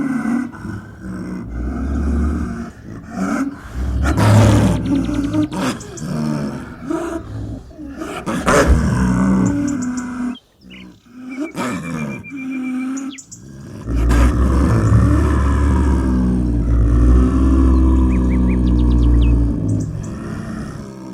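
A snow leopard gives deep, rumbling growls and low moaning calls in rough, pulsing bursts.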